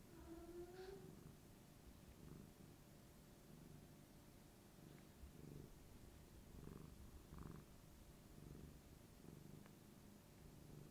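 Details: Rico, a tabby cat, purrs while rubbing against his human's knee to show affection; a low, rumbling pulsed purr runs throughout, opened by a brief rising tonal squeak in a quiet indoor setting.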